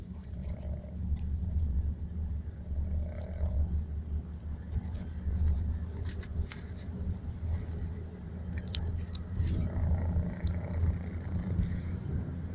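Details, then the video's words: Sleeping puppy snoring: steady low rumbling breaths that swell and fade continuously, with a few faint higher clicks and rustles scattered over the recording. "Щенок храпит"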